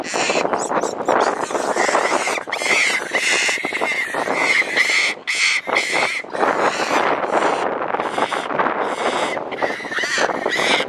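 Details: Angry mother monkey protecting her baby, giving a rapid run of harsh, screechy calls with a nasal, harmonic edge. Many bursts follow closely, with brief pauses, over constant rustling and broadband background noise.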